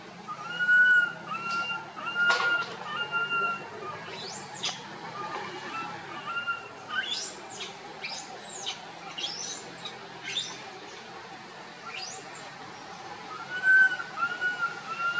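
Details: Young monkey Boston calling out while walking and wandering among his group, giving clear whistled cries at the start and again near the end, with a burst of sharp high squeaks and chirps in between.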